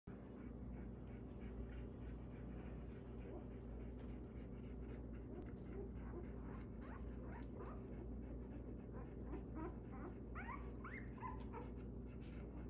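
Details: Belgian Malinois puppies of the litter known as Gunny & the Little Guns give soft, high squeaky whimpers, scattered and overlapping, growing busier toward the end over a steady low indoor hum.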